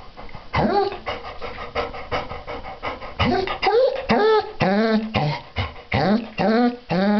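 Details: Female Basset Hound enjoying her bath, giving a string of drawn-out whining, moaning calls with rising-then-falling harmonics, interrupted by bursts of panting and splashing; a person talks in the background.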